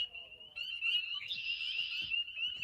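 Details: Evening marsh chorus of spring peepers: a continuous shrill band of high, piping peeps, briefly swelling louder and denser midway, with a few soft low thumps.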